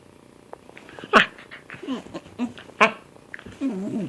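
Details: Cat at play uttering brief grunting chirps and two sharp bright squeaks, ending in a wavering, trilled mew.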